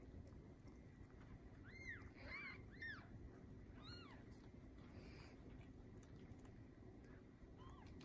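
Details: Newborn Bengal kittens, part of a litter of seven born to Lisa, a TICA-registered Bengal queen, on the morning of 7/15/19: a short burst of thin arched mews early on, then quiet under a steady low background hum.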